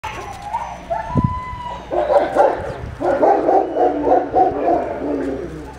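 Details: Siberian Husky puppies at a kennel, playing together: overlapping whiny, yelping vocal sounds with a sustained tonal whine near the start, then dense rough yips and growly chatter continuing through the rest.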